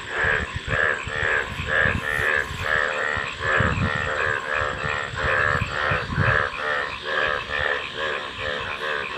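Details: Frogs calling in a dense chorus: rapid, throaty pulsed croaks repeated about twice a second, overlapping voices with low and mid-pitched parts, and a faint rumble beneath.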